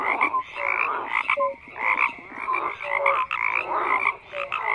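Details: Many frogs croaking together in a thick, unbroken chorus; raspy trilled calls swell and fade every second, while brief whistle-like notes stand out at a lower and a higher pitch.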